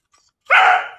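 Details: Single loud rough bark from a German Shepherd on a chain for its first time, abrupt onset after a quiet moment, tailing off gradually.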